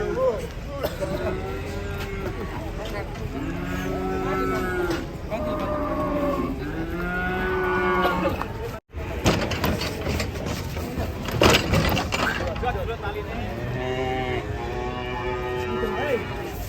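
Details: Cattle being unloaded from a truck give a run of long, low, drawn-out moos with rich harmonics, several calls following one another, over constant engine and vehicle rumble with people talking nearby.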